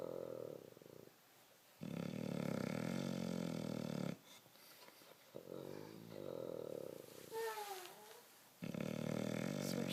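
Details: Bulldog snoring in its sleep with repeated long, guttural, vibrating snores of about two seconds each, short quieter breaths between them, and a brief high squeaky whine in one pause.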